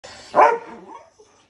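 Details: Two terrier brothers at play: one sharp, bright bark rings out, then a softer trailing whine fades off within about a second.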